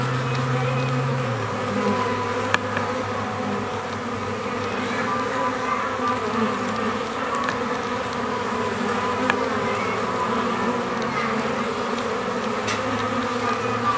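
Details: Stingless bees in a new hive, checked after seven days there, having built plenty of new comb and settled in; a steady, dense droning hum holds without pause, with a few faint clicks.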